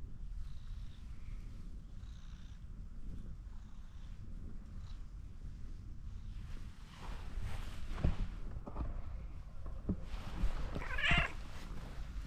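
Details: Ginger tabby cat perched on a fence, wanting more petting. A continuous deep purr throughout, with a short higher cry near the end and light rustling and contact sounds.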